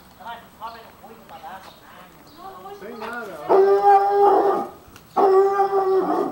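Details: Five-month-old Dobermann puppy meeting a stranger after peeing: short wavering whines rise into two long, steady, harmonic-rich howls lasting about a second each, with a person talking in Portuguese in the background.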